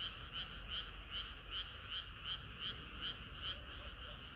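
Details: Summer-night frog chorus: evenly spaced, ringing croaks repeat at under three per second over a steady bed of softer calling from other frogs.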